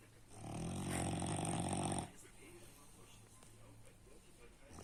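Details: One strong snore from Baks the French Bulldog: a deep, buzzing rattle for nearly two seconds, then quiet breathing.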